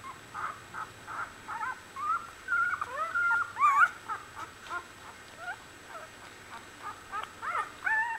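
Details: Week-old Australian Bulldog puppy litter giving a softer, busy run of short high squeaks and brief whines, with one longer wavering whine in the middle, the calls coming quickly and unevenly.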